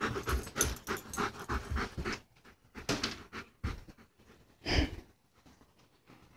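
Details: German Shepherd at play, panting in quick rhythmic bursts for the first two seconds, then scattered breaths and a louder huff near the end, indoors.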